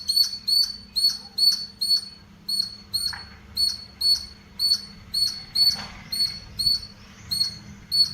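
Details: Squirrel chirping in a leafy house garden: sharp, high, clipped chirps repeated steadily about twice a second for the whole stretch, over a faint low hum.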